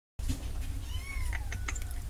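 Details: Kittens meowing softly: thin, high descending mews with faint harmonics, one drawn-out sliding cry near the middle, over a steady low rumble and some light clicks and knocks.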